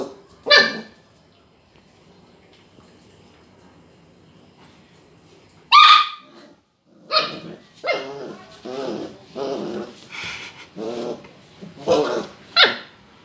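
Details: A Border collie puppy, seeing a lemon for the first time, barks at it with sharp, high barks, singly at first and then in an uneven run.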